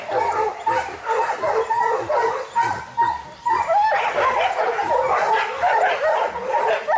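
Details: Young Kishu dogs in boar-hunting training in Japan: a pack barking in quick, irregular volleys, about two barks a second, with sharp yips over the din.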